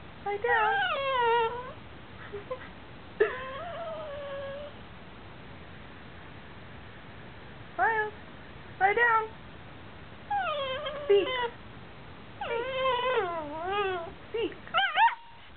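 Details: A Basenji and Chihuahua mix cries because it needs to go out while being asked to do something: a string of warbling, sliding whines and short rising yips, some drawn out and wavering, coming in irregular bursts.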